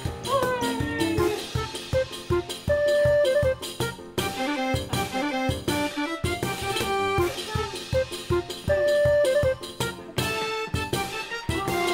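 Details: Lively jazz music with drums, saxophone and brass playing throughout; no animal voice.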